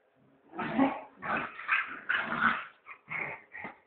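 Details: Puppy making a short string of rough, grumbling growl-like sounds that slide into higher whining yelps toward the end.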